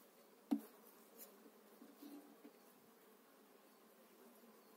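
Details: Honey bees during a spring 2018 hive transfer of eight frames into a new hive: a low, steady colony hum runs through the clip, with a sharp click of handling near the start and a few soft knocks.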